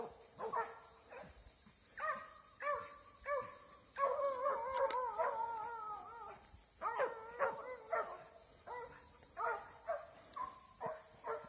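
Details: Eight-month-old Plott hound, released on a track and in a fight, baying in drawn-out, tonal barks and howl-like yelps that come in bursts about every half second, over a steady high hiss.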